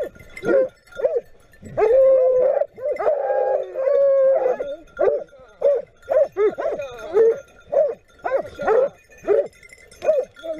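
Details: Griffon Nivernais hounds in Haute-Garonne, France bay in rapid, overlapping barks, with one drawn-out howling note, as the pack chases a wild boar that breaks into the open at speed.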